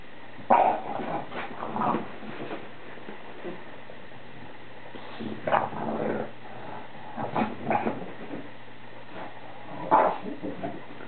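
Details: Bulldog during his nightly ritual after the family finishes eating, spinning in circles for several minutes; short gruff, rough bursts of vocal noise come in clusters near the start, middle and end, with quiet room background between.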